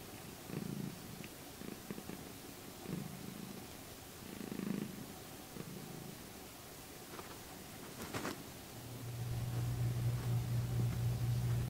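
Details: Pet cat purring in her regular morning spot, low rumbling purr bursts, a brief rustle near eight seconds, then a steadier, louder continuous purr toward the end.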